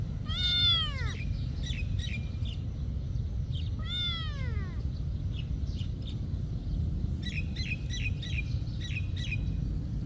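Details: Cat at a monastery giving two arched, descending meows about three seconds apart, with a scatter of quick bird chirps in the background and a steady low rumble throughout.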